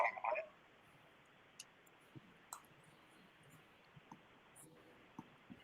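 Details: Faint clicks and brief rustling taps over a low hiss in a quiet indoor room, with a short burst of noise at the start; no animal voice is heard.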